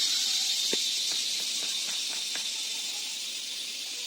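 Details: Crickets trilling at dusk to call mating partners: a steady, very high shrill hum running without pause, overlaid by soft irregular clicks.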